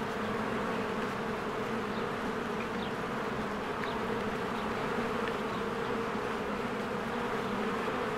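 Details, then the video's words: Honeybee hive in spring, with swarms coming and going: a steady, droning buzz from countless wings, dotted with several faint, quick bird chirps. "1 Hour of a Beehive ASMR | A Spring Nature Ambience Sounds"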